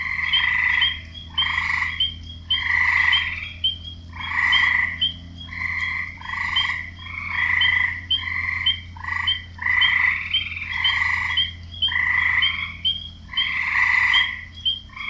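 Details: Male frogs croaking for females, rhythmic rasping croaks in pulses spaced about half a second to a second apart, several callers overlapping, bright mid-high tones with ticking above, soft low hum beneath.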